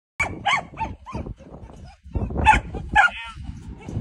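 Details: Malinois puppy during bitework: a run of short, rough vocal bursts in the first second, then louder growling and a brief whining, tonal yelp near the end, with handling and rustling noise between.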